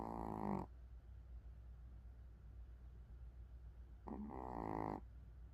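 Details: Sleeping Pomeranian dog snoring indoors: a throaty, harmonic snore at the start, then quiet breathing for about three seconds before a second rasping snore near the end.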